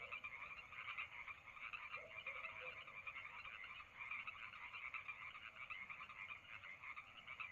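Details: Summer night at Lake Madrone with a frog chorus: many overlapping fast pulsed calls forming a continuous buzzing wall of sound, and one brief lower croak about two seconds in.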